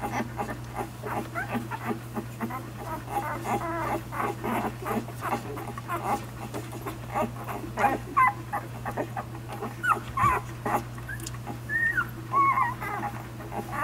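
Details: One-week-old puppies nursing on their mother Savannah, giving scattered thin, squeaky whimpers that rise and fall, mixed with busy rustling and suckling noises over a steady low hum.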